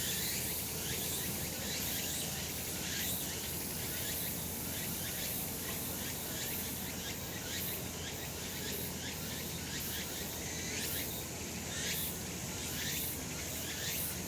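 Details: Sunny summer mountainside with cicadas singing, a continuous bright hissing drone that swells in loose pulses roughly once a second over a constant low environmental hum.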